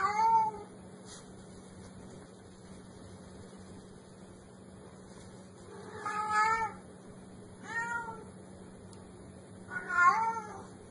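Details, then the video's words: Black kitten meowing four times, short, moderately loud cries with long silences between them, over a steady low electrical hum. "Tiếng Mèo Kêu Meo Meo"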